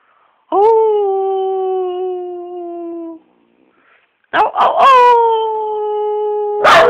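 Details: Dog singing with two long, loud, steady howls; the first swoops up then holds and slowly sags, the second begins with a few sharp yelping onsets before holding level, followed by a harsh burst at the end.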